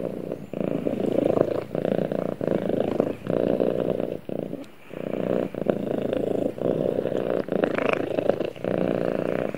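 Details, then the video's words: Snuggling with its owner, a cat gives a strong rumbling purr in breath-length bursts, with a longer pause near the middle and faint higher rustling noises. "Cute Cat Snuggles With Owner And Purrs"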